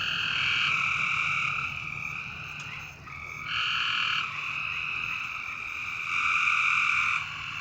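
A dense night chorus of frogs making a steady, ringing trill that swells and fades in long waves.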